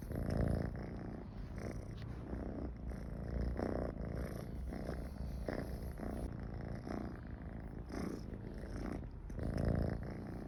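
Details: Michi, a pet cat, purrs contentedly close to people; continuous low vibrating rumble rising and falling in rhythmic breath cycles, slightly louder swells near the start and end.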